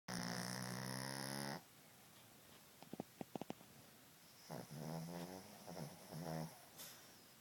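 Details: Cassie, a sleeping dog, snores: one long harmonic rasp up front, then faint clicks and a wavering, broken series of softer snores near the end.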